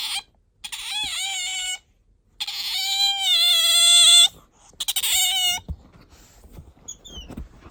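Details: Pet otter squeaking when sleepy or wanting attention; long, high, harmonic-rich whining squeals with slight wavering pitch, three drawn-out calls of one to two seconds each, then softer rustling and faint chirps.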